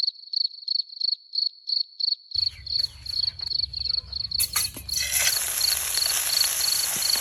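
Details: Cricket near a night-time light-bulb trap for catching crickets: a steady, high pulsed chirp repeating roughly three times a second, soon joined by low rumbling, handling knocks and a loud hissing wash that partly mask it.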